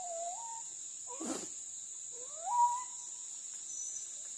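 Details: Pack of village dogs hunting monkeys in trees along a riverbank, monkeys being crop pests on fruit gardens and fields; short rising whining yelps, one near the start and a louder one midway, over steady high insect buzzing and a brief rustle.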